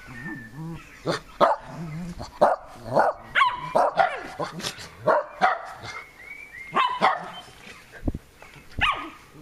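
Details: Two Shetland Sheepdogs, eight-year-old senior Leo and the youngest, Maeva, playing together in a garden on 12 June 2014. Sharp, loud barks repeat roughly every half second to second, with some yelping higher notes between them.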